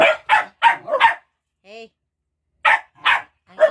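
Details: Several pet dogs playing while waiting for food: four quick sharp barks, a short tonal whine, then three more spaced barks after a pause.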